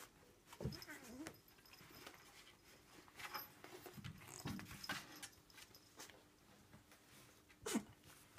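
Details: Bailey, a pet Bengal cat, gets wild over a catnip pollock fish toy indoors: short, low growly and whiny vocal bursts come around one, four and near eight seconds, among rustling, thumps and scuffling of play.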